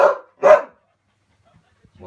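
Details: A West Siberian Laika in training on bear, moose and maral gives two sharp, hoarse barks in quick succession while baying at game.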